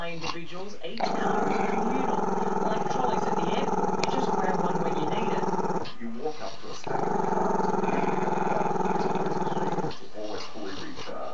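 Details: Camera-shy Maltese-Shih Tzu puppy named Chester giving a crazy long growl at the camera: a rough, throaty rumble held for about five seconds, a brief pause, then another sustained growl of similar length.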